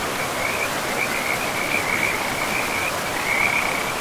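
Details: A shrill, continuous trill from frogs by a river in an untouched forest, pulsing slightly in intensity, laid over the even roar of the flowing stream.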